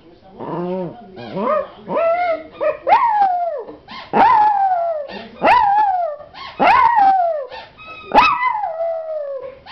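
A puppy gives a series of short, high, wavering howls that rise then slide downward.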